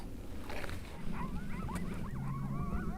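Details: Several coyotes howl and yip together in a wavering, overlapping chorus of rising and falling notes on a ranch valley, answering a hunter's howl calls from around a corner to the left.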